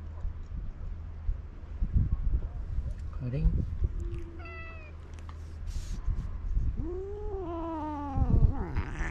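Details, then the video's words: Karin, a ferocious stray cat in Japan, irritated and jealous of a walking companion: a short harmonic meow midway, then a longer drawn-out meow that rises and falls near the end, over a low steady hum, with a person repeatedly calling her name. "あの凶暴猫のカリン様 散歩のお供にヤキモチ妬いてイライラMAX‼️ Ferocious cat"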